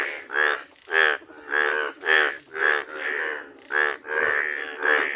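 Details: Yellow frog calling in a steady series of loud, rough, bleating croaks, each about half a second long and repeated roughly twice per second, with strong buzzy harmonics and a slightly uneven rhythm.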